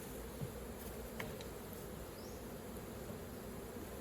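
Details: Continuous low hum of honey bees swarming around a hive as honey is collected, an even droning texture with occasional soft taps and a brief faint high sweep.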